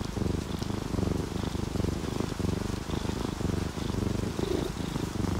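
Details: Relaxed, dozing orange tabby and calico cats purring alongside rainfall; a loud, vibrating purr comes in rhythmic waves with each breath, accompanied by gentle rain and scattered drips.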